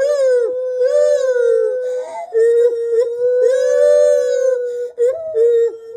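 A gibbon gives a long, clear wailing call that swells and dips gently in pitch.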